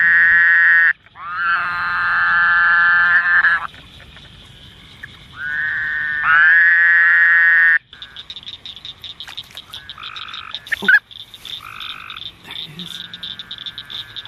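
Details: A male Woodhouse's Toad (Anaxyrus woodhousii) calling at night in a swamp during mating season gives long, nasal, buzzy bleats, each lasting two to three seconds.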